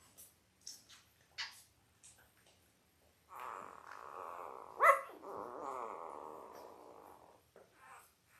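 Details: Newborn Labrador Retriever pups, five days old, from a litter of five males and three females: a few brief squeaks, then a drawn-out, grumbling, pulsing whine lasting about four seconds with a brief louder peak midway.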